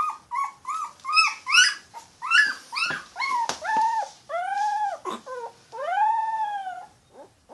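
A Yorkshire Terrier puppy cries in a run of short, high whimpering yips and drawn-out whines.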